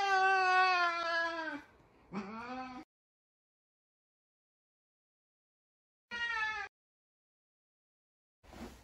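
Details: Sabian, a talkative Savannah cat, calling for Sabina; a long loud steady meow, then a short rising one, a pause, a brief bright meow later, and a faint sound at the end.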